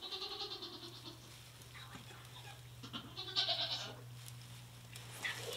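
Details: Goat doe in labour during her first delivery, the last kid coming out backwards; a strained, harmonic bleat opens the clip, then quieter rustling and shorter cries over a steady electrical hum.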